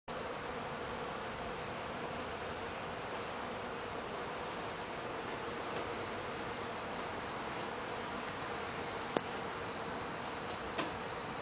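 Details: Bees feeding on a front porch make a steady, even drone under a broad airy hiss, with a couple of faint clicks near the end.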